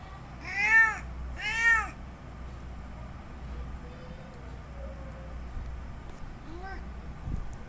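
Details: Male cat's mating call to a female in heat: two loud, bending meows in quick succession, then quiet background and a faint third meow near the end.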